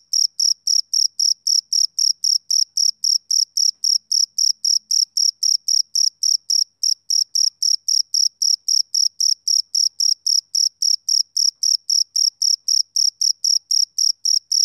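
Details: Male cricket chirping on a summer evening: a steady train of short, high-pitched, ringing pulses, close to four per second, evenly spaced with no other sounds behind them.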